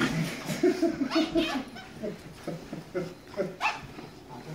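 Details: Standard Schnauzer named Dragutin, overjoyed at seeing his owner after three days apart: a run of short, high whining yelps in quick bursts, then looser whimpers, with a person's voice talking between them.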